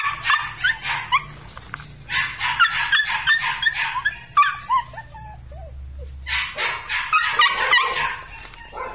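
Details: Red and black Belgian Malinois litter barking in dense overlapping bursts of short, harsh yaps, with a few brief squeaky whines in a quieter stretch midway and a low steady hum throughout.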